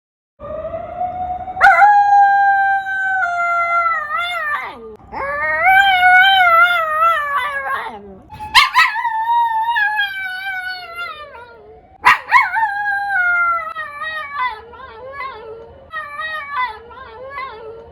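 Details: Female toy poodle reacting to a siren with repeated long howls, each starting with a sharp onset, sustained and quavering, then sliding down; several howls in a row with brief breaks between.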